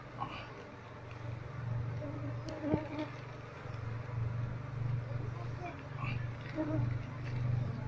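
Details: Honey bee colony nesting inside a wall, disturbed during a search for the queen: a low, steady droning hum that swells and fades gently throughout, with a single sharp tap near the third second.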